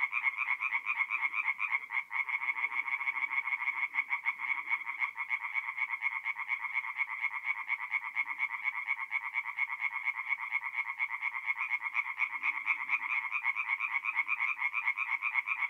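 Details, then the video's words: Continuous nocturnal song of tree frogs in a forest pond, north-east Italy, mid-April: a loud, evenly pulsing rattle of overlapping croaks from many frogs, steady throughout, with faint deeper calls now and then. "relaxing forest pond by night with singing tree frogs"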